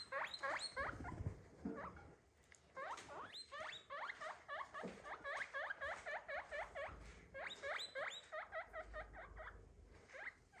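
A guinea pig gives rapid, high, rising squeaks, several each second in uneven bursts.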